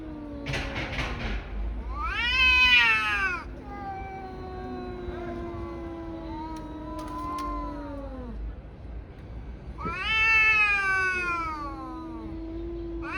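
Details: Two tabby cats brawling: long wavering yowls and growling moans trade back and forth, a loud rising screech near the start and another toward the end, with lower sustained howls sliding downward between them.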